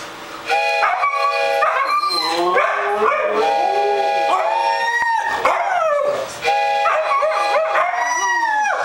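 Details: Several Siberian Huskies howling together, overlapping long drawn-out tones that rise and fall and waver, voices layering into a chorus with brief breaks around five and six seconds.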